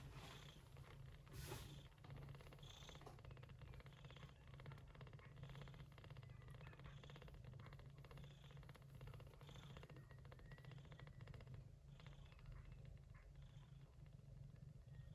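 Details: Gray shorthaired Persian Chinchilla mother cat named Yupi tending kittens born during an early-September typhoon; a steady, low rumbling purr runs throughout, with faint high squeaks scattered above it.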